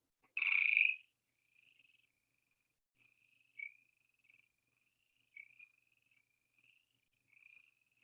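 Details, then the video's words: Western chorus frogs, a whole bunch calling at once: one loud rasping burst at the start, then a faint run of short, high, trilled pulses repeating at irregular intervals across the rest of the recording. "Yes, that was the sound of a whole bunch of Western chorus frogs all at once."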